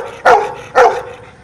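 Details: Dog performing a number trick, barking in answer to spoken numbers: two sharp, loud barks about half a second apart, each a short mid-pitched burst, then quiet.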